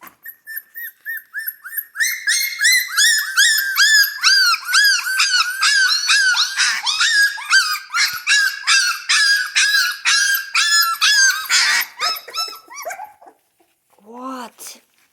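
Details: Hungry Central Asian Shepherd Dog puppies indoors. Soft steady whines build into a fast, dense chorus of high-pitched yips and yelps, roughly two per second, then fade to a few squeaky whimpers.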